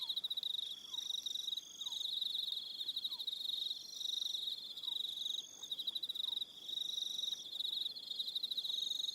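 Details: On Aroha Island in New Zealand, an evening cricket chorus keeps up an unbroken high rapid trill with stacked higher trills, while soft falling whistles drop in intermittently below.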